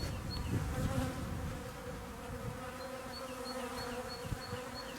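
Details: Honey bees give a steady, low, droning buzz at an apiary around 10 a.m. in a mild winter, busy at the water troughs near a spruce stand after a storm. Faint high chirps of singing tits repeat in the background, with some wind rumble.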